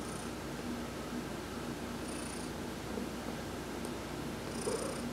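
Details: Heidi the cat purring during a massage while sunbathing, November 19, 2020; a steady low rumbling purr runs throughout, with faint high hissy bursts recurring about every two seconds.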